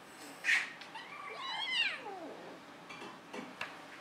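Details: Cats Molly and Annie at play atop a cat tree; one long, drawn-out meow that rises then slides steadily downward, preceded by a short bright squeak and followed by soft scuffling and taps.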